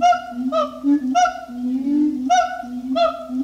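Siamang giving a low, droning hum with loud, nasal, honking barks breaking through about every half second to second.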